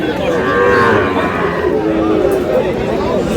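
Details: Sahiwal bull calves being traded at Aftabganj market, Dinajpur, Bangladesh, on market day; several overlapping lowing moos, wavering and sustained, amid crowd chatter and bargaining voices.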